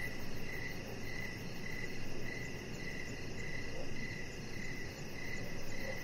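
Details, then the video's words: Crickets chirping in the evening outside by a deck with decoration lights on. Short, high, pulsed chirps repeat about every 0.7 seconds over a steady low rumble of background noise. "Chihuahua Puppy Laying On Deck with Cricket Sounds"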